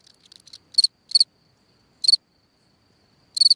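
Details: A cricket chirping at night near its burrow in the ground, giving a few scattered high, pulsed chirps with irregular pauses between them, after a brief soft rustle at the start.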